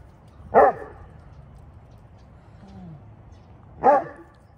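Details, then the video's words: Rescued Saint Bernard with bone cancer talking with the neighbourhood dogs: two deep, short barks about three seconds apart, with a faint low drawn-out sound between them and quiet background otherwise. "My St Bernard, Talking with the Neighborhood Dogs!"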